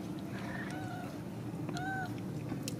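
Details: Ragdoll kittens with their mother, born and raised in a home cattery in central Kansas: a few thin, high mews with slight rising and falling pitch, over a steady low hum, with a person talking to them nearby.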